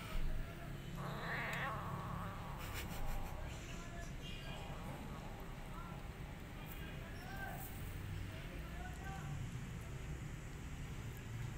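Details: Weaned, hungry rescued sibling kittens growl low and rough at each other while fighting over food, with brief mewing cries breaking through.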